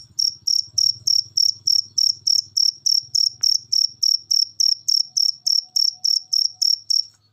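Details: High cricket chirps repeated roughly three times a second over a faint low hum, from a masteran recording played to make pet birds sing.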